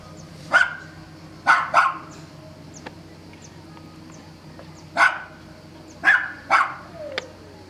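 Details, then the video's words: Dog barking nonstop at Sant'Elia, Vieste, while on holiday; single and paired barks separated by pauses of a second or more, a background hum running beneath. "the whole time barking dog during our holiday"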